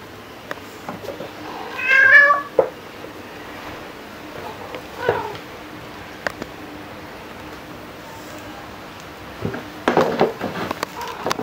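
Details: Indoor domestic cat, from home footage of a black cat and a tabby cat kept together 2018 to 2021: one clear, drawn-out meow near the start, then a quiet room with soft clicks and rustling.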